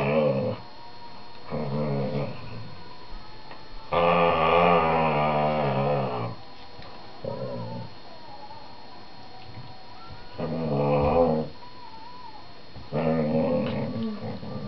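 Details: Indoors on a sofa, a male whippet vocalises at his younger sister, aged 4 months, during play: six groaning, woo-like grumbles, the longest lasting about two seconds near the middle, the others short and evenly spaced.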